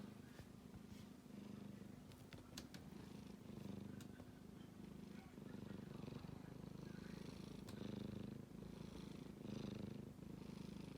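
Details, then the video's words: A kitten asleep, giving a continuous low purring snore that pulses steadily several times a second, with faint voices and light background noise. "子猫のいびき a Kitty is making a noise when he sleeps"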